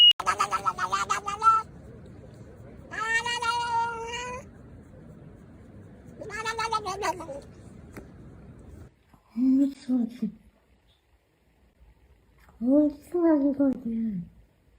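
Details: Cats making odd noises: three long, wavering, tonal yowls in the first seven seconds, then after a pause two lower, shorter, growling calls with bending pitch, separated by silence.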